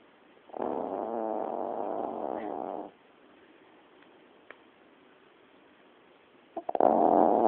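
A sleeping Yorkshire terrier gives a long, coarse, fluttering snore lasting over two seconds. After a quiet gap of several seconds, a second rough snore starts up.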